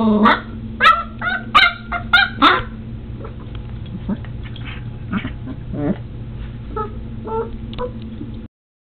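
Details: Border Collie puppy aged seven weeks, fighting a doorstop at home. A quick run of high, sharp yips fills the first few seconds, then only faint scattered squeaks and small noises over a constant low hum.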